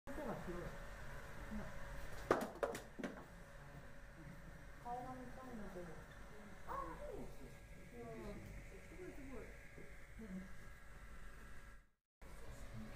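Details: A white-handed gibbon at Ueno Zoo, seemingly lonely after its partner left, gives a run of quick, sliding hoots that swoop up and down over a low background murmur; White-handed gibbon.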